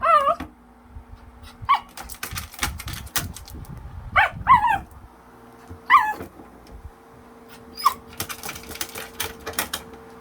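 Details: Pet dog named Tan reacting excitedly to a fan's remote control; high wavering whines and squeaky yelps come in short bursts between sharp mechanical clicks and ticking.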